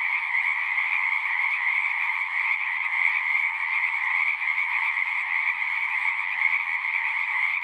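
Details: Many frogs singing together at a pasture pond, captured with a Zoom recorder; overlapping trilled calls merge into an even, droning chorus that holds steady from start to end.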